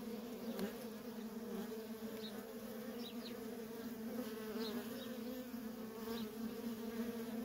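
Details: Dense, unbroken hum from a feral colony of honey bees with workers in constant traffic; the tone stays low and level, with a few faint high chirps over it.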